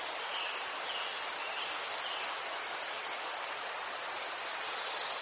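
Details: High, pulsing cricket trill from Ukraine, unbroken and even, with a few faint lower chirps and a gentle hiss behind it.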